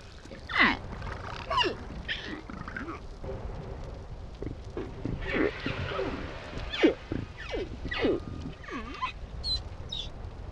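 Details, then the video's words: Humpback whale calf giving quiet 'whisper' calls to avoid being heard by killer whales: a series of soft tonal downward sweeps and short squeaks, some with harmonics, spaced irregularly over low underwater rumble. "Baby whale whispers"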